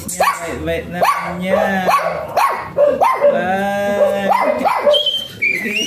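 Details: Small type Pomeranian Jinbie lets out a rapid string of high, clipped barks, roughly one each second, mixed with a person's voice throughout.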